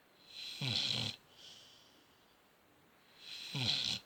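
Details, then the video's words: A dog snores in its sleep: two harsh, rattling snores about three seconds apart, each with a low vibrating throb. A softer airy breath comes between them, in a quiet room. "Snoring dog"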